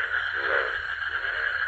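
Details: A dense midnight chorus of frogs calling from a village pond refilled by rain after drying out, a steady churring wall of croaks with a lower pulsed croak rising briefly, no other sound.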